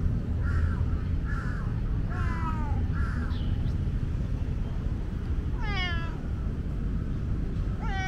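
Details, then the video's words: Tomcat from Lumpini Park, known as the park's most talkative cat, chirping short level meows in quick succession, then a longer falling meow, against steady low-pitched background noise. "loud meow tomcat"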